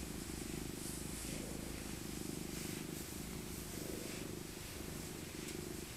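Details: Old tabby cat named Maca, a rescued stray, purrs as she is cuddled for her winter coat: a continuous deep vibrating drone, even and unbroken, with soft brushing noises over the top.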